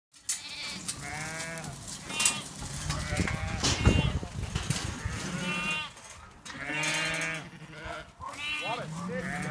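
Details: Farmed sheep and lambs in May: repeated wavering, harmonic bleats of varying pitch from several animals, with rustling and handling noise between calls.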